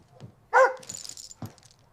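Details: German Shepherd in Nevada barking to alert its 78-year-old owner, who has age-related hearing loss, to a burst basement pipe; a single short, sharp bark followed by faint clatter and knocks.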